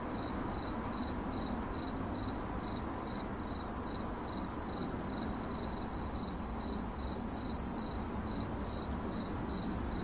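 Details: Cricket giving rhythmic shrill chirps, about two or three pulse groups per second, against a steady low rumbling background.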